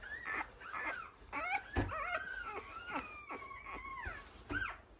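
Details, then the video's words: A week-old male American Bully pup, kennel-bred in Romania, whines almost continuously: high, wavering squeals, some sliding downward, some drawn out, with brief pauses and soft rustling between them. "AMERICAN BULLY MALE . 1 WEEK OLD."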